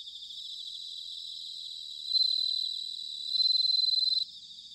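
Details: Singing bell cricket, autumn, Sanuki in Chiba, Japan, ZOOM H6 or TASCAM DR-05X recorder; two loud high bell-like ringing phrases of rapid pulses rise over a steady trilling insect background, then stop abruptly.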